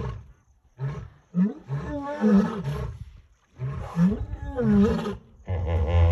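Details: Three lions at the bank of the Talek river in the evening, drawn by a hippo carcass, roar in deep, moaning bursts that swell and fall in two rolling bouts, calling back and forth with hippos.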